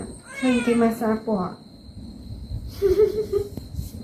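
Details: Pet cat being given a body massage indoors, uttering a drawn-out series of harmonic meows that rise at the end, then a shorter, softer call after a pause, while a person talks in Khmer throughout.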